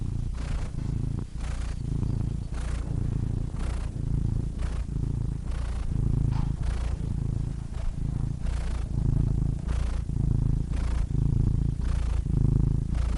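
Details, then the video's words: Cat purring steadily for a long stretch: a low, throbbing drone broken into even swells about every second, growing slightly louder toward the end, with no other noises present. "Cats Purring Soothing Sound Effects (Relaxing Cat Sounds)"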